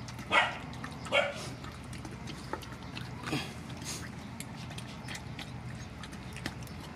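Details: At a feeding of rescued mother dogs and puppies, two quick barks open the moment, then a low hum with faint scattered clicks and a soft distant yelp or two.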